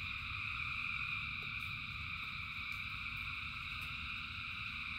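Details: A huge frog chorus sings in the rain: steady overlapping trills stacked at several pitches hold without pause, faint clicks break through, and a low murmur runs underneath.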